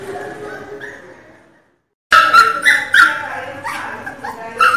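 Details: Pinscher puppy crying very loudly: a fading whine, a brief silence, then a sudden burst of rapid, high, strained yelping cries repeated several times a second until the end.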